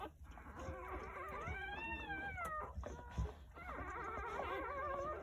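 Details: Faint, wavering whimpers of newborn Jindo dog puppies, from a nine-pup birth on New Year's Day at a rural house, arching up and down in a couple of long cries beneath a steady low hum.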